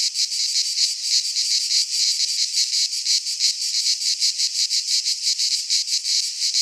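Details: In a pine forest in Greece during midsummer, cicadas sing a piercing, rasping buzz with quick rhythmic throbs, the loudness rising and falling every fraction of a second without pause.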